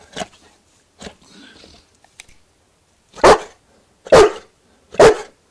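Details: Newfoundland dog barking for a sausage: a few soft, short sounds, then three loud, deep barks about a second apart near the end.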